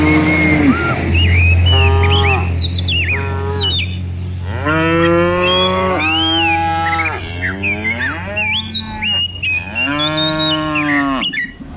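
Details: Dozens of cows herded downhill in the morning through open countryside; overlapping drawn-out moos rising and falling, with birds chirping and a low steady hum behind.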